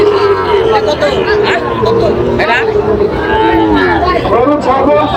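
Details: Sahiwal bulls at a busy cattle market near Dhaka, Bangladesh, on 13 July 2025; drawn-out, steady low moos recur through the clip beneath constant crowd chatter and bargaining voices.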